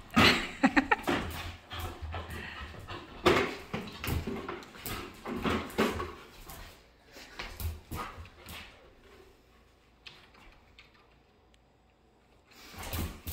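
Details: Pet dog indoors, playing with and obsessed with her bucket, giving a quick run of short whimpers and yelps, then rustling and quieter scrabbling sounds in a small room, with faint speech in the background.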